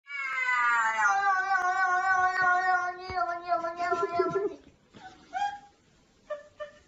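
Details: White cat watching a fish tank, giving a long drawn-out yowl that slowly falls in pitch over four seconds, breaking into rough chattering, then two short softer meows.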